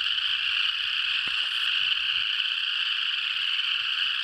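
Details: Frogs singing in Tennessee, falling silent when approached and resuming when the listener backed off; a dense, continuous high-pitched trilling chorus of many callers blends into a steady shimmering wall of sound.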